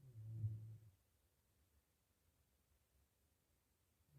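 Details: Asleep in a pigsty after eating, a healthy pig lets out a short, low guttural snore, then falls silent for about three seconds before the next breath begins to rumble.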